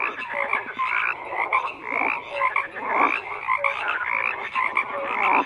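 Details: Frogs chorusing in large numbers: grating pulsed croaks overlap constantly, punctuated by brief higher tonal notes every second or so.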